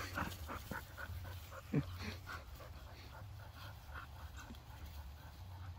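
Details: During rough play over a detergent bottle tied to a rope, Bonny the Bull Terrier mix tussles with Airedales Waylon and Lucy: soft rapid huffing sounds, then one short loud yelp-like burst, over constant low background rumble.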